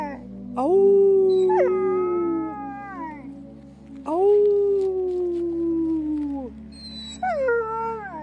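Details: Very happy wolfdog giving long, smooth howling calls that rise, hold steady and slide down, three drawn-out phrases in a row, with a faint steady hum beneath.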